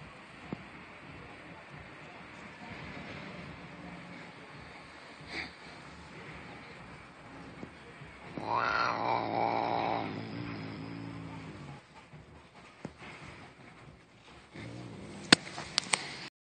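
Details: Fat black domestic cat growling: a single low, rumbling growl of about three seconds midway, set against quiet room hiss with scattered clicks and knocks.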